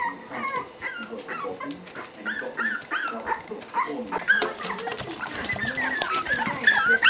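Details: Staffordshire bull terrier pups, 3 weeks old, whimpering and squealing: a busy jumble of high, short rising and falling whines and yips from several pups, getting louder and more crowded toward the end.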